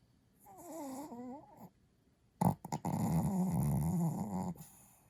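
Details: Kohaku, a sleeping Chihuahua, snoring in earnest deep at night: a brief wavering whine-like breath, a pause, a sharp snort, then a loud, low, rattling snore held for about two seconds in a small room.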